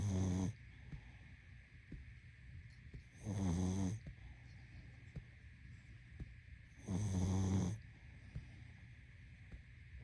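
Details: Deep, rattling snores from a sleeping pug recur three times at steady intervals, each burst rough and nasal with a dense low buzz, while a faint electrical hum fills the pauses.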